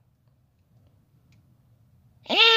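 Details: A clouded leopard cub, born 24 July 2019 at San Diego Zoo, lets out a single loud, bright, harmonic mew after a quiet stretch; it sweeps upward in pitch and cuts off abruptly.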